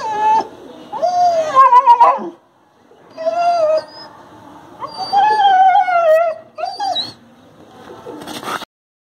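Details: Injured adopted street dog Golu, in pain from a broken bone, gives long wavering howl-like whimpers in three drawn-out bursts, with sharp yelps between and brief pauses.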